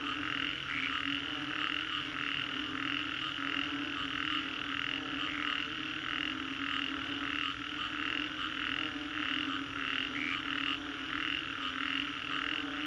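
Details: Post-storm frog chorus at Green Corridor, Singapore, many animals croaking at once; rapid pulsed notes stack in a constant wall of sound with a steady low drone beneath.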